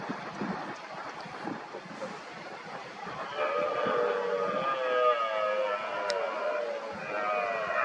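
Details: Red deer stags in the rut, rivals challenging an injured dominant stag, give roars. A rough, broken start gives way after about three seconds to long, sustained, moaning bellows that continue to the end.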